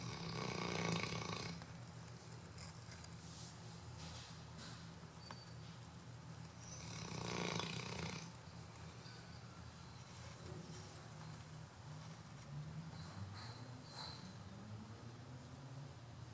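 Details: Chocolate Labrador Retriever napping on a Sunday afternoon, snoring in low rattling rumbles that swell at the start and again around seven seconds, with softer breathy snores in between.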